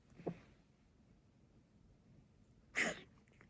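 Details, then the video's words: Coughing tabby cat suffering from asthma, filmed 27 February 2021: a softer short hack, then after about 2.5 seconds of quiet a louder, harsher burst. "咳の様子 coughing cat"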